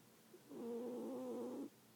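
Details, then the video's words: Snoring from a sleeping cat: one steady, humming, slightly whistled breath lasting just over a second, against quiet room background. "Snoring cat"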